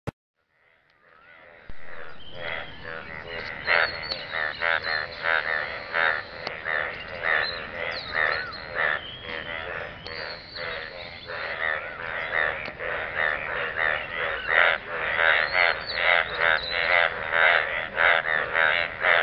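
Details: Frogs croaking in a pool of water, a dense overlapping chorus of raspy, harmonic croaks that starts after a brief silence and builds, pulsing quickly and irregularly at roughly one to two calls per second.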